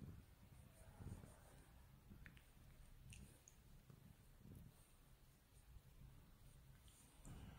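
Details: Li Hua (Dragon Li) cat purring while its face is rubbed indoors: a soft, steady low rumble with a faint pulsing texture throughout, and occasional light clicks and rustles above it.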